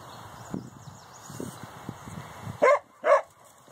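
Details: Dogs on a morning walk react to cows on the other side of their fence. After low, muffled rustling, two loud, short barks ring out half a second apart against a steady background hiss.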